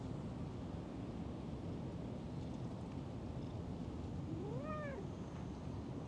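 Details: Cat found sleeping in a park gazebo and stroked, purring with pleasure as a continuous low rumble, with one short rising-falling meow near the end.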